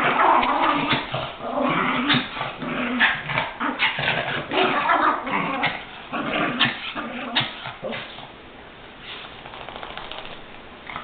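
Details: Chihuahuas attacking each other in play or a fight, the growling one named Goofy; rough, continuous snarling growls broken by sharp yips and whimpers, intense for eight seconds before easing to lower rumbling.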